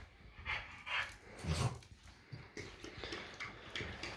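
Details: French Bulldog indoors arguing with its owner over bedtime, giving short low grumbling moans and huffs in quick bursts.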